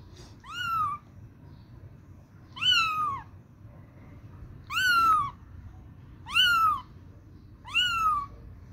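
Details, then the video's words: A small kitten hunts for its mother, giving five drawn-out, plaintive mews that climb then sag in pitch, spaced about two seconds apart, over a soft rumbling room background. "little kitten searching his mom||little kitty mews"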